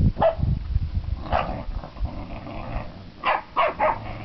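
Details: Staffordshire Bull Terrier puppies, seven weeks old, giving short high yips and squeals in a few bursts, with scuffling and thumping underneath.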